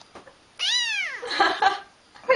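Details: Indoor pet cat giving one bright, downward-arching meow lasting about half a second, followed by a person's voice and household noise.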